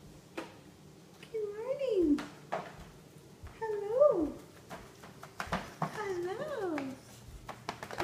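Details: Nino, a black Staffordshire Bull Terrier puppy about 7–8 months old, 'talks' in drawn-out, rising-then-falling whiny yowls while greeting his owner in the morning, as he usually does each day.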